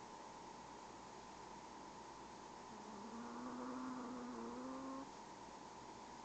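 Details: Princess, a small Pomeranian tired out after a trip to the groomer, snoring softly while asleep: one faint whistling nasal tone lasting about two seconds and rising slightly, over a steady electrical hum in a quiet room.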